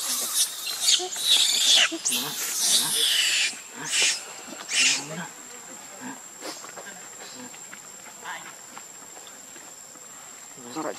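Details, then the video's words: Baby monkey Leo cries loudly for its mother's milk, with rapid harsh high-pitched screeches crowded into the first few seconds, a few shorter outbursts after, then fading to quieter background sounds. "Ve-ry P-itiful Cr-ying Lou-dly I Lo-vely Monkeys."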